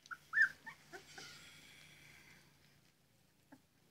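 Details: Labrador Retriever puppies at morning cuddles give a few short, high whimpering yips within the first second, then near quiet broken by one faint squeak.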